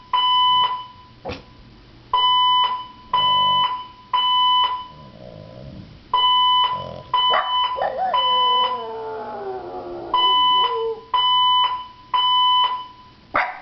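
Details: A 14-month-old female French Bulldog gives a wavering, falling howl against the shrill, regularly pulsing beeps of a fire alarm, which she dislikes; her owner suspects it hurts her ears.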